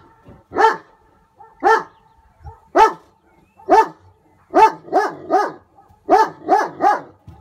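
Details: German Shepherd reacting to a hot air balloon with repeated loud barks. Single barks come about a second apart, then speed up into paired and tripled bursts; roughly ten barks with a faint steady tone behind them.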